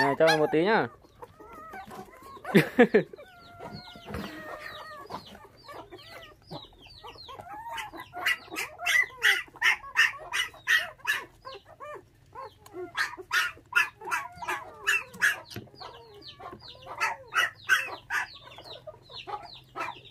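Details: Orphaned puppies, five in a litter, hand-raised on bottled milk after thieves took their mother at six days of age; loud squeals open, then a rapid stream of curving, tonal whimpers from several pups.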